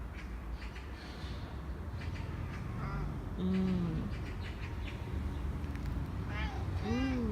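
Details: Korean shorthair cat Nacho pleading for another treat indoors, one of three cats in the home: a flat meow sliding down midway, then a sharper rising meow at the end, with soft voices and low hum behind.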